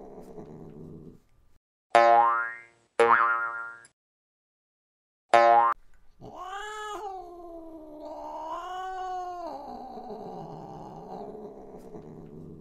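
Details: Cat in a compilation of funny, cute cat moments. After a few sharp boing-like effects comes a drawn-out, wavering meow that rises, holds, then falls, with a second long whiny cry following.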